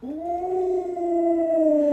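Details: Alaskan Malamute pet Luoluo howling as its owner stays sick in bed: one long, even, tonal howl held at a nearly constant pitch with rich overtones, clean and uninterrupted.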